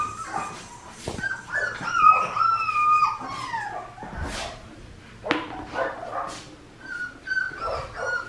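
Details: Four-week-old red merle male Australian Shepherd puppy at Fifteen Acre Farms, Oklahoma, recorded 15 November 2019. High, drawn-out whining whimpers that bend and fall, broken by sharp clicks and knocks, over a constant low hum.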